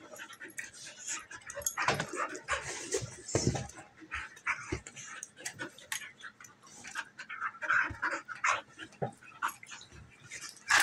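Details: Two female dogs, a German Shepherd nearly one year old and a half Golden Retriever mix, wrestling in play; dense scuffling with panting, short growls and occasional yips scattered throughout, no steady rhythm.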